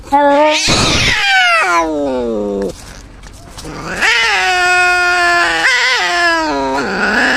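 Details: Harsh opening shriek from a cat, then a falling yowl, a quiet gap, and a long sustained moaning howl with slight wobbles, rising again near the end.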